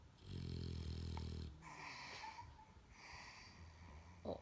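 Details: English Bulldog deeply asleep, resting its head on a girl, giving a loud low rasping snore followed by several whooshing breaths, the rhythm slow and steady.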